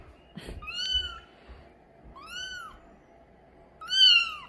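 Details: Light mink Bengal kitten, a young male, gives three short arched meows spaced about 1.5 seconds apart over a low rumbling background with a soft knock near the start.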